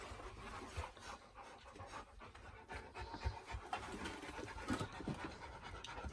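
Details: Dog panting during play between the dogs Reina and Bella: quick, breathy broadband puffs at an uneven pace, with low rumbling handling noise underneath and a voice starting up just after.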